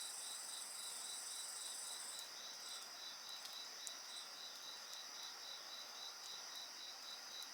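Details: Steady, even insect song with an unbroken shrill tone and regular pulsed chirps several times a second, a thin higher rattling trill early on, and scattered sharp pops of burning wood.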